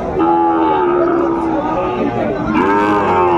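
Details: Sahiwal bull at Ambari cattle market in Netrokona, Bangladesh, on 8 November 2024: a long, steady, low moo with rich harmonics, then a second shorter rising moo after a brief pause, over a murmur of market crowd noise.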